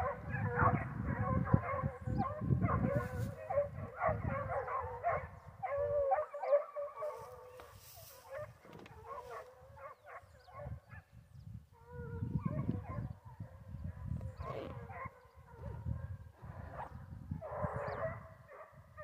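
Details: Hunting foxhounds after wild boar give tumbling, overlapping howls and bays from many voices, strong at first, fading to scattered cries midway, then swelling again into a full chorus; low rumbling noise throughout.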